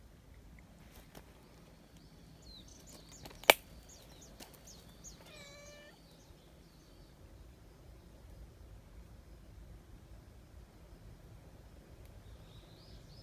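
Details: Friendly community cat living in a big, close-knit outdoor group: a single clear, drawn-out meow with a falling tone midway through. Thin, high bird chirps come just before it, with a sharp click and a quiet background.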